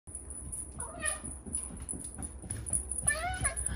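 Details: Ragdoll cat named Alice gives two drawn-out, wavering meows, one near the first second and a longer one near the end, over a steady high whine and faint voices in the background.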